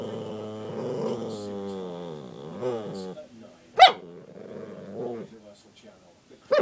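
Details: An eight-month-old puppy gives a long wavering whine-like growl for about three seconds, then a single sharp bark, quieter muttering, and another abrupt bark at the end.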